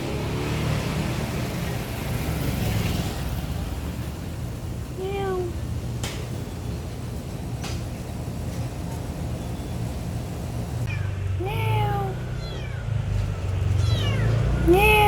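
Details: Feral street cat in a neighbourhood, recorded 2019 with a Samsung Galaxy S9+: a lone meow mid-clip, then a run of four short, falling meows near the end, against constant vehicle rumble and a passing car.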